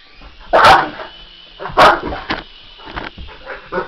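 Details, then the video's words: English Mastiff barking in reaction to a remote-controlled helicopter: two loud, deep barks about a second apart, then softer short woofs, over a steady high whine from the helicopter motor. "English Mastiff VS RC helicopter"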